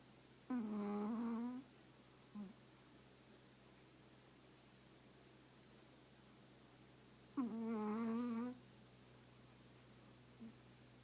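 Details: Sleeping Chihuahua tucked into its owner's lap: two nasal, whistle-toned snores of about a second each, spaced roughly seven seconds apart, each followed by a tiny click, over a faint constant hum in a quiet room.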